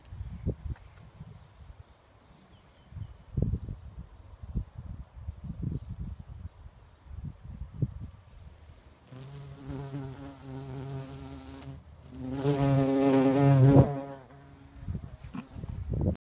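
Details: Very large bumblebee flying around agapanthus flowers near a mailbox. A low, steady droning buzz with rich overtones swells in during the second half, loudest just before the end, after a stretch of rustling and soft handling thumps.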